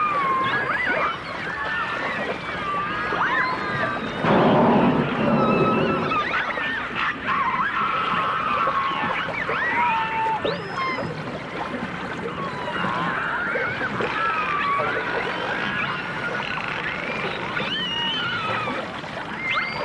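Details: Dolphins and orcas, from a 1989 stereo recording, in a busy mix of many overlapping whistles, upsweeps and rapid clicks with a brief louder burst of broadband noise.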